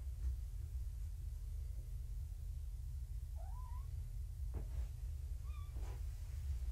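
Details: Abandoned kittens, found in a roadside box and now at the Purrfect Pals shelter, indoors in the morning: two thin meows, one wavering up and down, the second shorter and higher, over a steady low hum.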